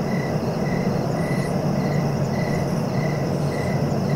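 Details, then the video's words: Short, even cricket chirps come about every 0.4 seconds beneath a thin steady high tone, all over a dense low-pitched rumble. "Relaxing cricket sounds for sleeping"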